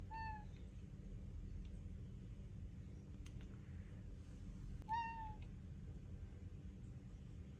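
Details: Domestic cat calling for food at mealtime, persisting until fed: two short, clear meows, one at the start and one near five seconds, each slightly falling, separated by a long gap over a steady low rumbling background.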